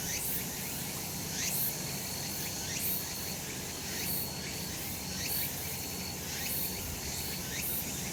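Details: Sunlit summer mountain slope alive with cicadas: shrill continuous hiss overlaid by rising swoops that recur about once a second, plus a sustained high pure tone that switches on and off in short bars.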